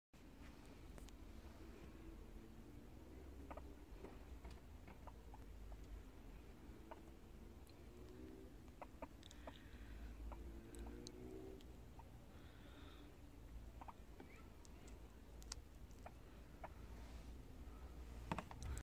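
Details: Chubby pet guinea pigs giving low, pulsing rumbling purrs in several short bouts of a second or two, over a steady low hum with scattered soft clicks and taps.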